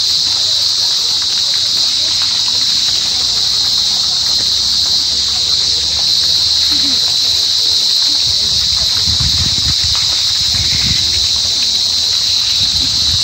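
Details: Cricket of the family Gryllidae calling: a loud, continuous, unbroken high-pitched trill held steadily throughout, with faint low rumbling beneath.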